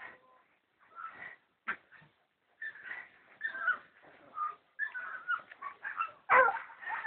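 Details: Jagdterrier puppy, three and a half months old, gives short high whimpers and yelps in broken bursts with brief quiet gaps, ending in a louder sharp yip.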